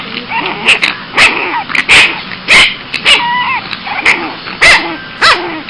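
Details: Boston Terrier puppy getting cranky, letting out loud yappy barks and yips about twice a second, mixed with rising and falling whiny squeals between them, over a constant low hiss.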